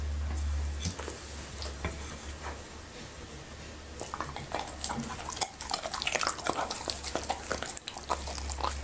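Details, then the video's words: Happy the Labrador retriever eating okra and raw meat indoors: wet irregular chewing, crunching and smacking clicks in a small room, with a low steady hum underneath. "Happy's Eating ASMR:Okra and Raw Meat"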